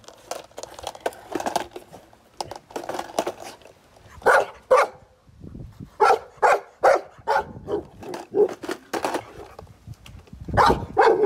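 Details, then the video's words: Golden Retriever barking at a skateboard: a mix of softer barks and crinkling noise, then louder, well-spaced barks in pairs and singles, with low rumbling between them. "My Golden Retriever barks at skateboards for 2 minutes straight"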